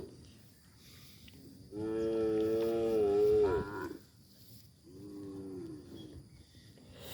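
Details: A tame calf lowing: one long, steady, resonant moo lasting about two seconds, then a shorter, softer moo after a brief pause.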